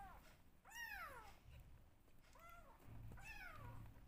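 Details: Pair of rescue kittens meowing loudly during bottle feeding: three clear arched meows, high and drawn-out, each rising then sliding down, with soft low handling sounds between them in a small room.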